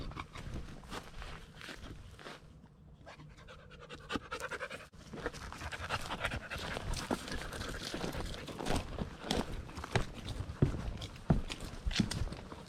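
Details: Lady Shiva, an American Bulldog, breathes hard in quick rhythmic pants while hiking the 4-mile Bear Lake Loop Trail, Blackwater State Forest, Florida; a brief quieter lull midway, then heavy panting resumes amid crunching steps and brush.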